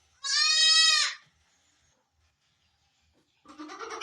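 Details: Barbari goat on a Sultanpur goat farm at delivery time gives one loud, strained, high quavering bleat lasting under a second, followed by silence and then a rougher, lower, noisier sound.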